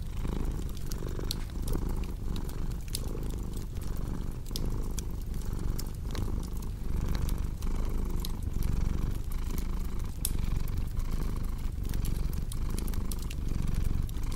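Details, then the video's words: Purring cat, a dense low rumble pulsing regularly roughly every one and a half seconds as the cat breathes in and out, with crisp crackles of burning wood throughout. "Purring Cat with Cozy Crackling Fireplace Sound"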